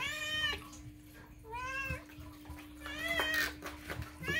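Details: Domestic cat meowing loudly indoors, demanding food: several drawn-out harmonic meows, each about half a second, rising then falling slightly, repeated at uneven intervals, with a steady electrical hum and faint speech in the room.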